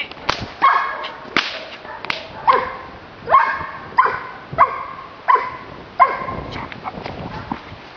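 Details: Repeated barking from a Giant Schnauzer, Blackmoore: roughly eight deep-ringing, harmonic barks about one per second, with loud sharp snaps in between.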